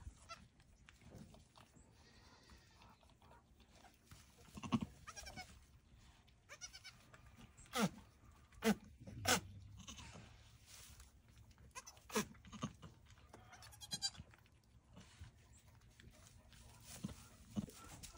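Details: Nigerian Dwarf goat recorded live during a birth, a mother goat in labour; several short loud bleats and strained cries rise above a quiet background, spaced a few seconds apart, with a person speaking softly encouraging words.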